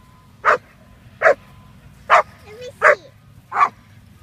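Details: Young female German Shepherd, Quita, roughly six and a half months old, barking at bitework foundation training; five strong, evenly spaced barks under a second apart, a brief voice between them, steady low hum behind.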